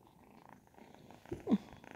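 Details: Ragdoll kittens, ten and twelve weeks old, indoors: a soft, steady low purr runs under the whole stretch, with a brief louder rustle or squeak near the end.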